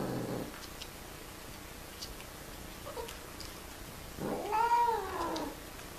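A domestic cat lets out a loud, wavering caterwaul, swelling upward then sliding down over more than a second. Shorter rough sounds come before it, typical of cats mating.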